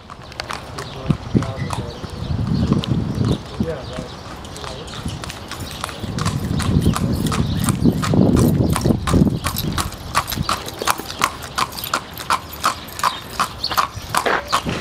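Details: Clip-clop of a horse moving under spoken instructions, the pace quickening in the second half into rapid regular knocks, with low rumble and handling noise earlier.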